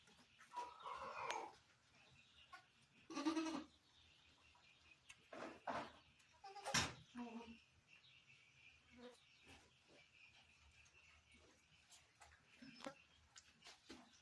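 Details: Barbari goat at a farm in Sultanpur around delivery time, giving birth; faint scattered bleats near the start and middle, separated by clicks, knocks and handling noise.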